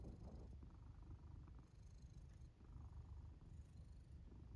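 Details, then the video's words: Black domestic cat asleep in its fort, purring and snoring: a steady low rumbling purr in pulsing waves, each swell lasting about a second, with soft breathy noise on top. "Black cat snores and purrs while sleeping in their fort"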